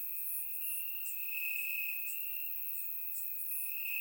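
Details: Crickets chirping in grass on a warm summer night in Bulgaria, recorded with a surround microphone: a steady high trill holding one pitch, pulsing slightly louder and softer, with fainter higher insect buzzes flickering above it.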